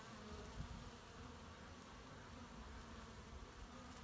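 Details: Many honey bees at work gathering pollen in March 2018, giving a continuous low hum that holds even throughout, a faint whine riding above the drone and one short closer pass early on.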